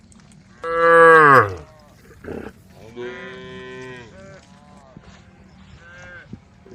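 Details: A cow in a herd roaming a dusty country road gives a loud, drawn-out moo that falls in pitch, calling to the herd, with small neck bells jingling softly.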